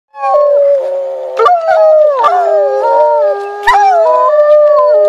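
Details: A timber wolf howling: several overlapping long, smooth, tonal howls that hold steady and then step or slide between pitches, forming a layered chorus that goes on without a break.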